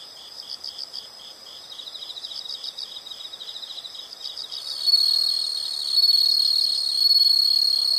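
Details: Insect sounds from nature: quick high chirps pulsing steadily, then a louder continuous shrill trill joins and dominates the second half.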